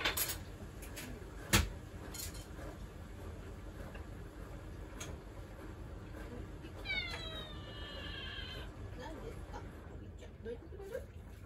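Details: Pet cat Mugi, who comes meowing for attention whenever someone stands at the kitchen counter, gives one drawn-out, wavering meow midway, after sharp kitchen knocks and amid soft household noise.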